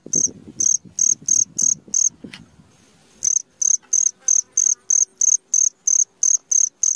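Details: Cricket at midnight producing high, ringing chirps at a steady pace of about three per second, interrupted for a second by low rustling and knocking noises before the chirp train returns cleanly.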